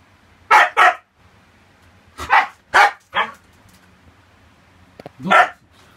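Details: Siberian Husky indoors, having rushed in from the next room to bark at a cockroach it found: loud sharp barks in irregular bursts of two and three, with a person exclaiming and laughing nearby and a low background hum.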